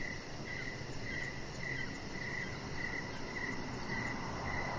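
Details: Evening cricket chorus near a home deck, with bright, clipped chirps repeating roughly every half second above a rushing, noisy background.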